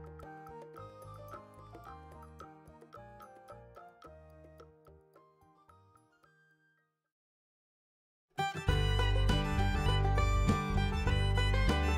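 Only background music is heard, a tinkling tune that fades to silence before louder music starts.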